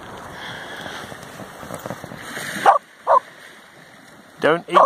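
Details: Samoyed at Nairn Beach, Scotland, in August 2017, running on seaweed: after a stretch of wind and murmured speech, four short, sharp barks in two pairs near the end.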